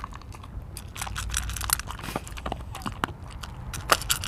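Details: Mungchi the dog eating: a dense run of crisp crunching and crushing bites, quick and uneven, growing louder toward the end, with a quiet room hum underneath.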